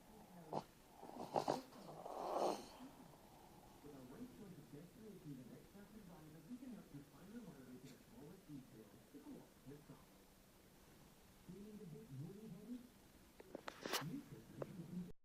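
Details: Small dog asleep and snoring, each breath a low wavering wheeze that rises and falls in quick wavy pulses through the middle, with a few sharp knocks and rustles at the start and near the end.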